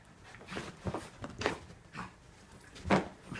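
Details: Wrestling Norfolk Terriers, with Otto and another dog keeping Ernie under control: rough, breathy huffs and short growly bursts come in uneven pulses, with the loudest snort-like burst near three seconds.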